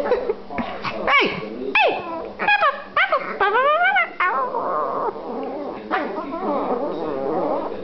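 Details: Brother and sister Silky Terrier puppies squabble while held by their owner: sharp high yelps and whining cries with steeply bending pitch cluster in the first four seconds, then softer, lower grumbling whines follow.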